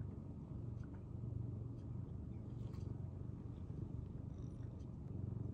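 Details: Senior rescued house cat Tokiji, the household's timid second cat, purring in January 2023: a loud, continuous deep rumble pulsing rapidly and evenly, with faint light ticks above.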